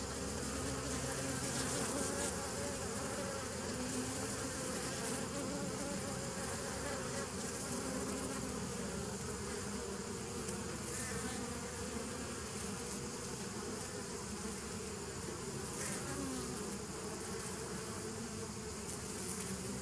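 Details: Steady massed buzzing of bees, recorded 27 September 2018, a thick low drone holding level for twenty seconds with slight wavering tones, nothing else audible over it.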